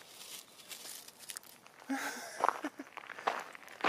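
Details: Quiet rustling, crinkling and soft footsteps with a few faint taps, and no animal call audible.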